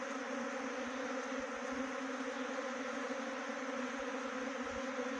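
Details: Continuous droning hum of a honey bee swarm being trapped near Chakrata in Jaunsar-Bawar, Dehradun district, Uttarakhand; even and unbroken throughout, level and pitch nearly unchanging.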